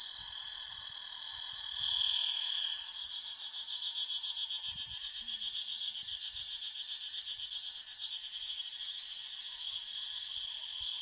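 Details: Cicadas in a forest fill the air with a steady, high, shimmering buzz that pulses rapidly without pause.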